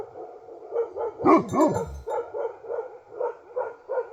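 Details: Bhote Kukur, the Himalayan sheepdog of Nepal, gives a single heavy double bark midway, set against a steady train of softer, evenly spaced yelps.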